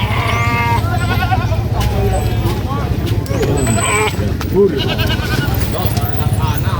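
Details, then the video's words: Baby goat screaming during vaccination on a sheep and goat farm: several wavering, harmonic bleats, some cut short, the loudest a rising-falling cry near the end, over a steady low engine hum and people talking. "GOAT VACCINATION SPOT ,GOAT SCREAMING BABY GOAT"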